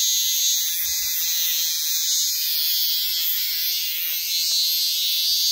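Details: Minmin cicada screaming: an unbroken, even, piercing high buzz with slight wavering in tone throughout.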